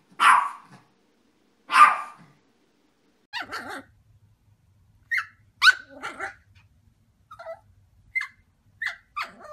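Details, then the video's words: Yorkshire Terriers barking, part of a compilation of barking and howling Yorkies. Roughly a dozen sharp barks come in irregular bursts. The first two are deeper and fuller, and later ones are higher, shorter yips with pauses between them. "YORKIE AMAZING BARKING - Yorkshire Terrier Barking and Howling Compilation"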